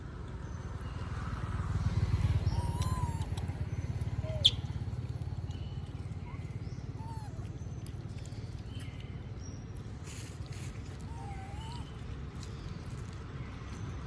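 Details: Moby the monkey asking for food as others eat peanuts outdoors: brief, plaintive, rising-falling tonal squeaks, about four spread across the stretch, with a soft low background hum and a sharp click.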